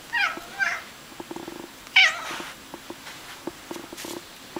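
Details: Chatty Bengal cat chatting with its owner indoors: three short, bright meows, the first two close together and the third a louder, rising-falling mew, followed by soft clicks and small rustles.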